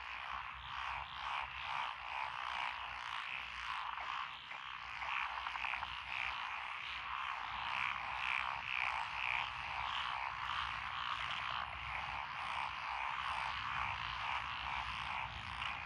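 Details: Lotus paddy frog chorus recorded 12 June 2021 along a rural road in Echizen, Fukui Prefecture: tree frogs, black-spotted pond frogs, wrinkled frogs and green tree frogs. A continuous wall of rapid, pulsing croaks, busiest in the upper voices.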